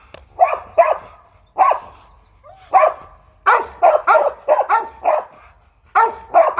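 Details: Aggressive Rottweiler barking loudly: sharp, harmonic barks, single and in quick pairs or triplets, separated by short pauses, with a quiet background.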